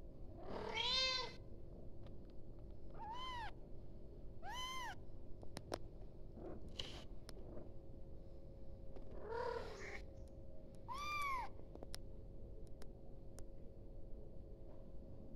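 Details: A young kitten cries out for its mother in a run of sharp, high meows, some short and others drawn out, coming at irregular gaps over a constant low background hum, with scattered ticks.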